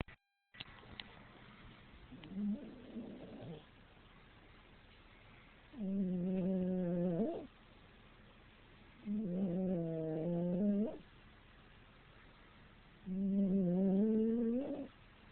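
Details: A sleeping dog snoring loudly while it dreams: long, droning, nasal tones on each breath, about two seconds each and repeating every three to four seconds, with quiet pauses between.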